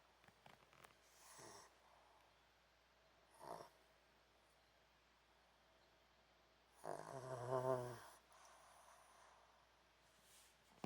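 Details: Pomeranian named An asleep on a hot dog cushion, snoring; two brief breathy snores early, then a longer, louder rasping snore with a low nasal buzz near the middle, quiet room otherwise.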